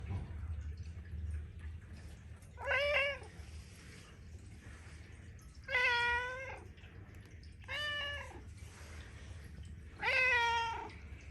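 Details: Talkative Persian cat in Amsterdam city center greeting its owner home with four drawn-out, harmonic meows spaced a few seconds apart, each slightly wavering, over a low indoor hum.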